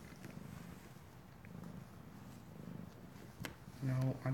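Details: A happy kitten purrs loudly in a steady, low, rumbling pulse, audible across the room, with a woman's voice breaking in at the end.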